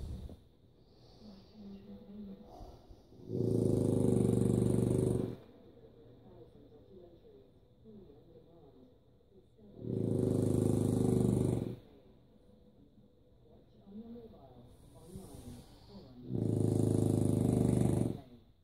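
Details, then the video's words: Sleeping French Bulldog gives three heavy, harsh, pig-like snores, each about two seconds long and spaced roughly six seconds apart, with soft rustling and breathing in the quiet gaps. "French Bulldog snores like a pig"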